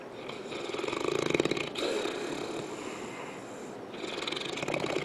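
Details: St. Bernard named Misha asleep on a couch, snoring away: raspy, fluttering breaths with rapid pulsing texture, a louder drawn-out snore early on and another building near the end.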